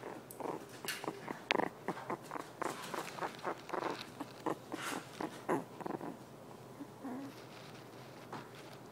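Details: Female Havanese puppy grunting as she drifts off to sleep indoors; soft, short, breathy grunts come in an irregular run of about fifteen quick pulses, low in volume, with brief quiet gaps between them.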